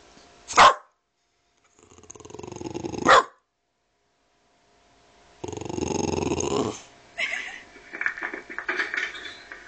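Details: Boston Terrier barking at a ringing doorbell: sharp loud barks near the start and around three seconds, then a longer harsh growling bark burst and rougher barks toward the end; a person's voice is heard just before.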